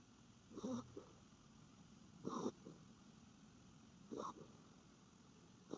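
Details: Norfolk Terrier sleeping face-forward, an unusual pose for it. Three rough, breathy snores come about every two seconds, each with a short softer after-puff, against low steady room noise.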